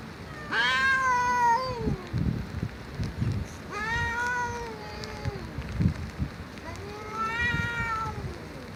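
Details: Three long, loud cat meows, each a drawn-out arching wail about a second long, spaced about three seconds apart, with low thuds and rumbling noise beneath.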